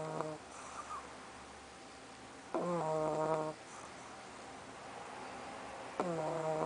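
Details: Pug Soffie asleep and snoring: rhythmic nasal snores roughly every three and a half seconds, each a rough, reedy inhalation with a thin whistling tone, separated by near-silent pauses.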